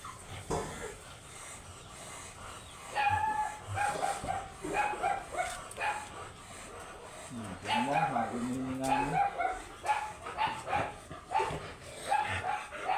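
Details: Oversized Golden Retriever at a stud service in Laoac, Pangasinan, giving thin high-pitched whines in short repeated bursts, some wavering and drawn out, with a lower wobbling whine midway, human voices and handling noises throughout.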